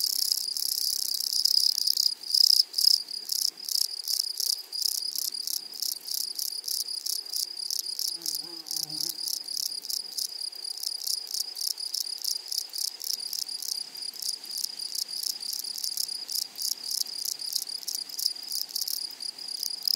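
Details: Grasshoppers in a flowery meadow: a dense, high, shrill buzz made of rapid, evenly spaced pulses that runs without pause for the whole stretch, with a fainter higher overtone and a brief low murmur near the middle.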